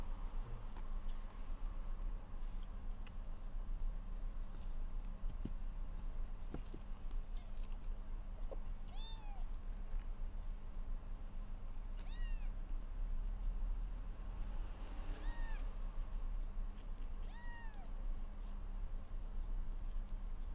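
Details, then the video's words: Kittens 22 days old, rescued with placenta still attached, three littermates playing and wrestling for the first time. Thin, arched, high mews sound about every three seconds over a steady low indoor hum. "赤ちゃん猫 初めてのじゃれあい＆猫キック"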